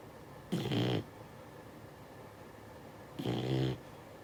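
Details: Six-month-old Beagle puppy asleep and snoring: two rasping, half-second snores about two and a half seconds apart, with quiet breathing between.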